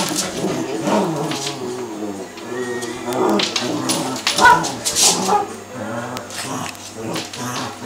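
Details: Play fight between two Cavalier King Charles Spaniels, all in fun; low throaty growls pulse roughly twice a second, with a few thin whine-like tones and softer rustling in between.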